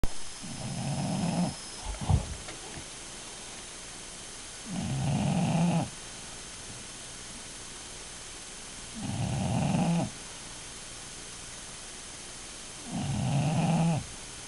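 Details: Bulldog snoring while asleep: four loud, rasping low snores, each lasting about a second and spaced roughly four seconds apart, with quiet pauses between; a brief click near the start.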